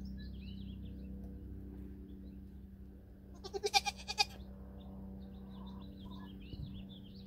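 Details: Nigerian Dwarf dairy goat near a buck for the first time during breeding on New Year's Eve 2020, giving one short wavering bleat of about a second amid steady low hum and distant bird chirps.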